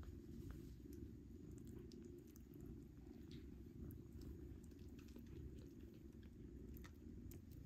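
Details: Nursing domestic cat and kittens, the kittens competing for milk while being weaned onto pâté; a loud, even, rumbling purr continues throughout, overlaid by scattered small wet clicks and smacks.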